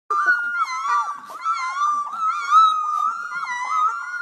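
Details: A young Golden Retriever puppy, one of a litter just learning to howl, gives a loud, sustained, wavering high howl lasting several seconds, with faint overlapping whines from littermates.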